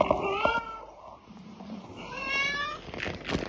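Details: Cute pet cats meowing indoors: a short high meow at the start, then a longer meow with a rising and falling pitch around two to three seconds, with faint background noise.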